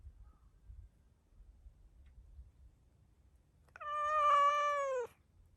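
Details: After a short quiet spell with low rumble, a stray black-and-white tuxedo cat gives one loud, drawn-out meow lasting over a second, steady in pitch and then dropping at the end, voiced toward the camera after being petted.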